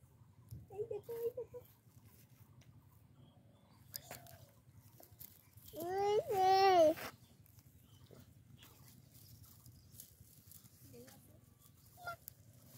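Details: Goat kid bleating among baby goats while a human baby plays with them; a single wavering, quavering bleat of about one second sounds mid-clip, surrounded by soft scattered babble, small knocks and quiet background murmur.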